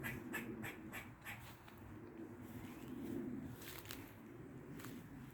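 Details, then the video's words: Squirrel in a Dublin garden on the forenoon of 16th August 2023, making odd noises: a run of short, harsh, clicking chucks in quick succession, pausing, then resuming in scattered bursts over a steady low background hum. "Squirrel makes weird noises in a Dublin garden"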